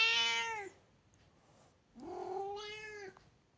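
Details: Domestic cat meowing. A harmonic meow is cut off at the start, then after a pause a second drawn-out meow rises and holds steady for about a second. The background is quiet.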